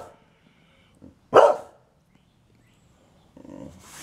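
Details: Liberty the Boxer, a pet female dog demanding an early dinner, gives one loud sharp bark, preceded by a faint softer sound and followed by quieter rustling noises.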